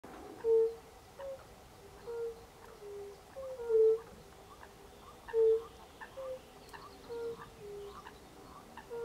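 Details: Several European fire-bellied toads (Bombina bombina) give soft, mellow 'oop' calls at slightly different pitches, overlapping, recorded in late March 2024.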